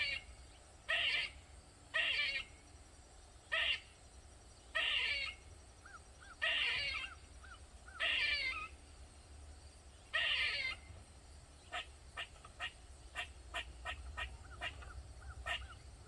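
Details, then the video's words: Squirrel in a backyard in Maryland, USA, calling loudly for over 45 minutes: harsh, raspy bursts repeated about every one and a half seconds, then a run of quick, sharp chips toward the end, over a steady low hum. "Squirrel Made Loud Sounds For Over 45 mins"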